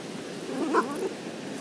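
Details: An 11-month-old female French Bulldog gives a brief, wavering, moaning grumble, expressing dismay at her rock and sounding like "Oooh mama", the breed's typical talking voice; French Bulldog.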